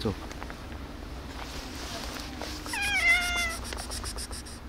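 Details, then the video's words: A calico cat indoors with a gray cat gives a tiny, thin, level meow lasting under a second, midway through. Faint clicking follows, with a person talking softly around it. "Calico cat tiny meow with gray cat"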